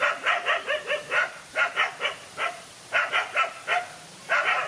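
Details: During a fight between a lone dog and two males, a near-continuous stream of sharp yapping barks comes in uneven clusters, about twenty in under five seconds.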